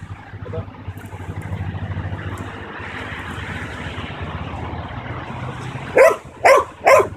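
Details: A 9-month-old male Belgian Malinois in protection training gives three sharp, loud barks about half a second apart on command, over traffic hum.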